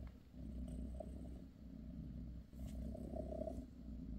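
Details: Purring from Bassy, a British shorthair mother cat tending her kittens; a short stretch of low buzzing rumble in two swelling cycles, quiet background.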